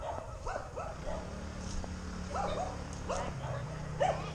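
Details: A civet on a power line about 6 m away gives short, arched yelping calls, repeated in quick bursts over a low steady hum.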